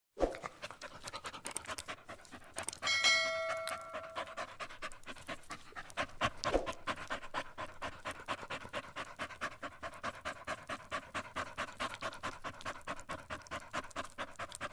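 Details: Shih Tzu dog panting while being groomed for a puppy cut: quick, breathy bursts, roughly two per second, run steadily throughout. A ringing bell-like tone sounds briefly near the third second.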